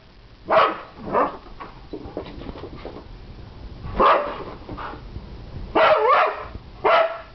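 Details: Several pups yapping excitedly, with irregular sharp barks spaced one to two seconds apart, a quick double bark late on, and soft whimpers and yips in the gaps.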